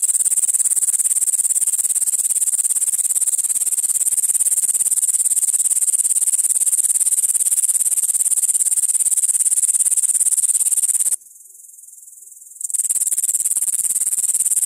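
A grasshopper gives a continuous, very high-pitched buzzing trill that breaks off briefly, then resumes.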